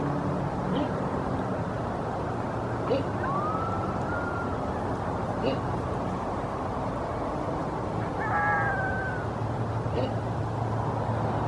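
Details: Coyotes in a pre-dawn chorus in northeast Murrieta, near Winchester Road: a few thin, wavering howls glide up and fall away, with a cluster of stacked yips later, all set against a constant low roar of distant traffic.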